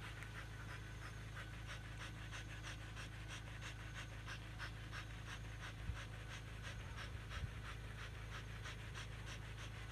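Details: Rapid, breathy panting from Siberian Huskies exercising in a field, quick rhythmic puffs around three per second, with a steady low drone beneath and a few faint knocks.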